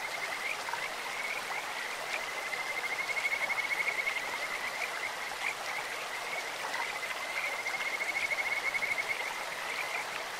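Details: In a clear-flowing stream, Kajika frogs give long high trills at one steady pitch, swelling in two bouts with brief quieter gaps, set against continuous hissing water.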